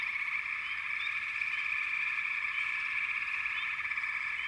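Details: Frogs calling in a dense, unbroken chorus: a steady shimmering trill fills the clip while short, high, rising chirps pop out above it every half second or so.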